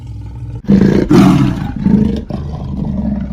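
A leopard gives deep, rumbling, engine-like roars in a few heavy bursts.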